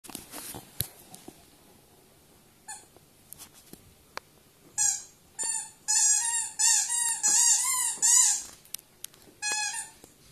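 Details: Nea, a pet Welsh Springer Spaniel, indoors: after scattered clicks and taps, a run of high, bending whines starts about halfway, each note rising and falling, repeated in quick succession with brief pauses.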